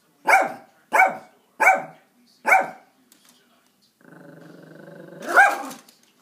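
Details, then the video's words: Little Yorkie Max confronting a squirrel over bird food: four sharp, high barks at a steady pace, then a pause, a human voice, and one more loud yap over the talking. "Yorkie vs. Squirrel"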